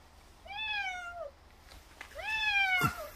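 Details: Frail old feral domestic cat at a rural house, persistently crying for more churu treat: two plaintive harmonic meows about a second apart, the second rising then falling, with a sharp click near its end.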